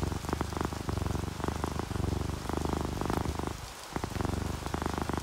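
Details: Contented sleeping cat, an orange tabby or calico, gives a deep vibrating purr in short breath-linked bursts with a brief pause near the fourth second, while rain falls steadily and drops patter nearby.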